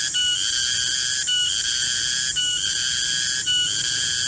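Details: Loud, continuous high whistle-like buzzing of a garengpung cicada in a midday garden, broken into segments by brief stutters roughly every second.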